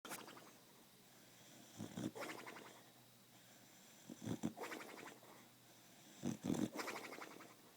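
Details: Pet Beagle asleep and dreaming, snoring in slow breaths with short muffled whimpering bursts around the second, fourth and sixth seconds, indoors and quiet.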